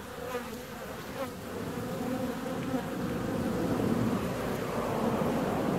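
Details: Honey bees out on a warm February day: continuous buzzing hum that grows gradually louder, with brief higher whines of bees passing close.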